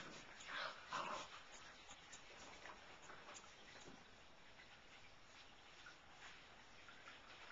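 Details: Young Siberian Husky pups recorded 20 February 2011: a couple of clear, high tonal squeaks near the start, then fainter, softer whimpering fading into a low background hiss.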